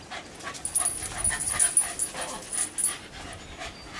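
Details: Shiba Inus dashing around a backyard: quick, soft, breathy bursts of breathing, about three each second, over a faint high electronic whine.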